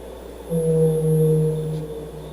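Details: A male blue whale's infrasonic song, sung to attract females, sped up tenfold to be audible: one long, steady, low moan that holds its pitch.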